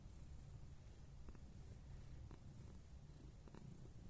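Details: Scottish Fold cat purring indoors, recorded 29 November 2021: a steady low rumble with a few faint soft clicks, nothing else audible.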